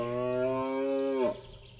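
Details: A rutting red deer stag in the Belgian Ardennes, autumn early morning, gives one drawn-out, tonal bellow just over a second, dropping sharply in pitch at the end, to mark territory and attract females; quiet woodland follows.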